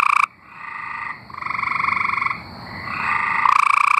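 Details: Tree frogs from Arkansas give steady, rasping pulsed trills, one after another with short pauses, a louder nearby frog opening and closing the chorus.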